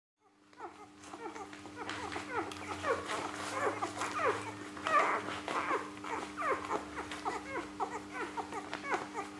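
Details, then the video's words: Three-day-old Rhodesian Ridgeback puppies of a litter born 21 September 2013 in Perth, Western Australia, feeding indoors: a busy chorus of short high squeaks and whimpers, rising and falling, overlapping constantly over a steady low hum. "Ngoma Rhodesian Ridgebacks Puppies, Day 3, Litter B 20130921, Feeding"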